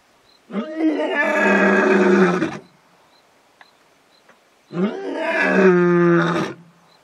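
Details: Male lion at a waterhole in the bush in early evening, calling the rest of the pride to join him. Two loud, drawn-out roars of about two seconds each, separated by a two-second pause, reverberating; a few faint clicks between them.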